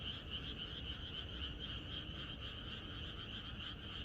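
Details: Countryside frogs calling en masse the night before rain, a fast pulsing chorus of roughly three to four beats per second, loose in rhythm, with a bright upper band and steady low background noise.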